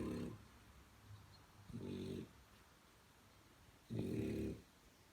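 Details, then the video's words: French Bulldog puppy snoring indoors: three low, buzzy, rumbling snores, each about half a second long, come at irregular gaps of roughly two seconds, with quiet breathing between them. "Funny snoring french bulldog"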